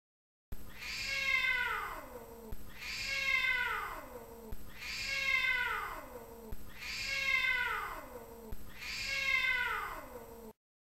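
A dog gives a drawn-out, falling, cat-like meow, repeated about every two seconds.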